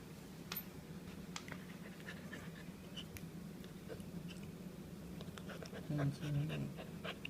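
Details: Worn out after a walk, three-month-old pure-bred German Shepherd puppy Dally breathes in fast, shallow pants, about three per second and somewhat uneven, while a man's voice briefly speaks near the end.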